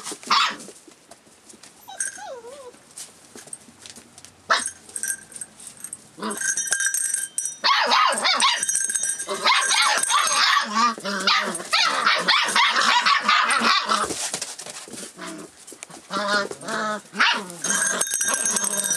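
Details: Rough Collie puppy aged 44 days, 25 February 2012, alert to changes nearby; starts quiet with a single wavering whine, then builds into a long run of dense high-pitched yapping and squealing that continues to the end.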